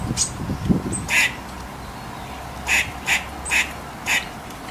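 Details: Squirrel making brief, clipped, noisy chucks, four of them in the second half and roughly evenly spaced, over a low steady background hiss.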